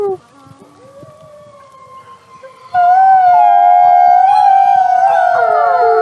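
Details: Wolf howling: a faint, low tone at first, then from about three seconds a loud, sustained howl with several overlapping long tones that waver slightly up and down to the end.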